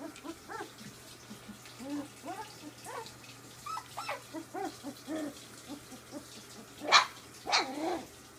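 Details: Ziva's puppies, three weeks old, play noisily: quick rising yips and whines tumble over each other, ending with two sharp, loud little barks close together.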